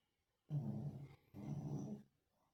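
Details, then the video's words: Sleeping Lhasa Apso snoring loudly: two long, low, rumbling rasps with a brief pause between them, deep and throaty. "Lhasa Apso roncando"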